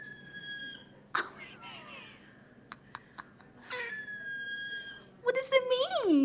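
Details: A pet squirrel finding his many voices gives thin, high, steady squeaking notes of unclear meaning while a person asks if he is talking.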